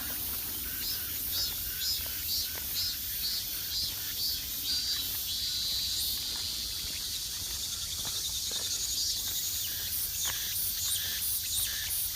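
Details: Cicadas singing in the old-growth Gwangneung forest along the walking path near Bongseonsa temple, Pocheon, Gyeonggi Province, South Korea, in summer: a dense, continuous high-pitched shrill buzz with pulsing overtones, soft background rumble and scattered faint knocks.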